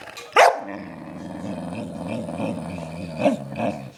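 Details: Dog on a sugar high after stealing a belVita, giving one sharp bark, then a steady low rumbling drone with softer yaps near the end, over background music.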